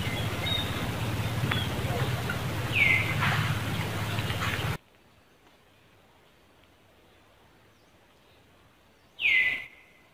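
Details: Monkey calling in Cambodia as Angela notices another monkey beside Lucie: one high, falling cry amid hum and rustling, then quiet, then a second louder descending cry that trails into a level tone.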